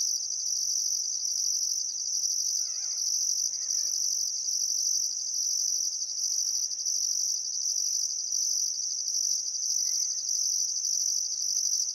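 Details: Australian crickets at sunset on a still summer afternoon, Barcoo River, Welford National Park, Queensland outback: steady high-pitched ringing trill with rhythmic pulses, and a few soft warbled bird calls around three to four seconds in.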